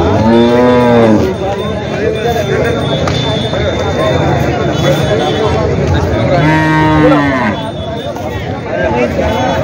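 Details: Two separate low, harmonic moos from a water buffalo at Jawla buffalo market near Parbhani, one at the start and another about six seconds later, each about a second long, with continuous crowd noise between.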